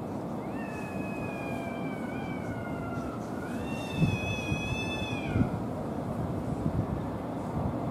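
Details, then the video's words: Two male cats yowl while fighting over a female, who quickly runs off. Two long, drawn-out wavering cries follow each other, the first slowly falling, the second higher and rising before it breaks off. Steady low background rumble throughout. "メスの奪い合い 猫の大喧嘩"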